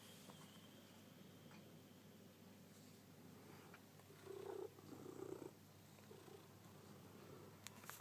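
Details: Nugs the cat meows while following the camera indoors: two short, low tonal meows close together midway through, against a steady background hiss and faint room noise.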